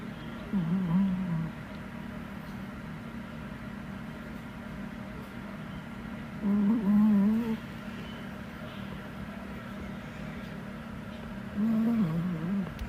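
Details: Sleeping indoors, either a 4.4 kg male Chihuahua or a 3.8 kg male Pomeranian snores in three low, wavering, nasal bursts spaced about five to six seconds apart, each near one second, with steady room hum throughout.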